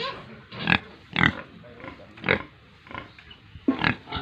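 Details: Pigs and piglets at a farm in Tripura, India, making a handful of separate harsh grunts with short pauses between them.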